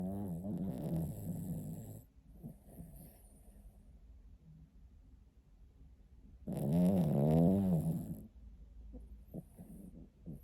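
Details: Sleeping pet dog snoring: a two-second droning, harmonic snore, a quiet pause of several seconds, then a louder wavering snore with a buzzy, rippling tone.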